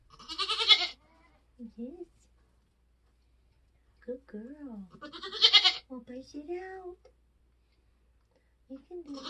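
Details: Birth of Nigerian Dwarf goat kids on a homestead in kidding season. Two strong, rasping bleats, near the opening and just past five seconds, are separated by quiet human speech.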